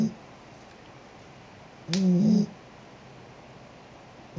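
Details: Sheeta the cat snoring: a single short, raspy snore of about half a second with stacked low tones, in an otherwise quiet indoor room.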